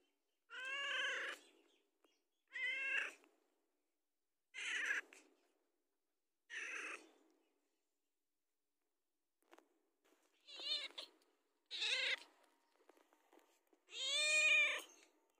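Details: A house cat asks for food with a string of wavering meows, four evenly spaced, then a quieter pause with small clicks, followed by three more meows ending in a long loud one.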